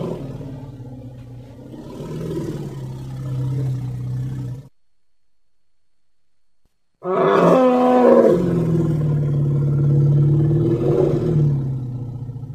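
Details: Baby elephant at play outdoors, producing long low, rough, harmonic rumbling calls that swell and fade, split by a few seconds of near silence, with the second call rising briefly before settling into a deep drone.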